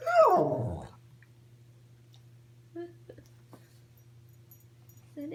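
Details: Pet dog in bed in the morning, making silly noises: one loud whining groan that slides steeply downward over about a second, then near quiet with a few faint soft sounds over a steady low hum.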